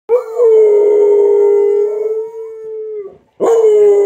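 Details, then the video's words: Dogs howling in response to noontime sirens: a long, steady, mid-pitched wail held for about three seconds, a brief pause, then a fresh rising howl starting up. "Dogs start howling when the noontime sirens start to ring."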